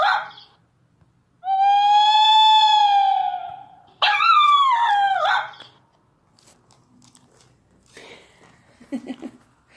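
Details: Dachshund puppy playing near a tablet, a long steady high whine held about two seconds, then a rough wavering falling howl, followed by faint scratchy rustling.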